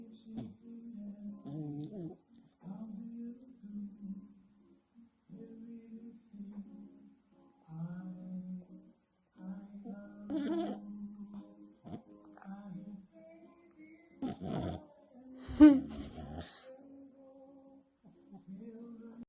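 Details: A sleeping French Bulldog snores very loudly in low, droning, hum-like breaths, each lasting a second or two.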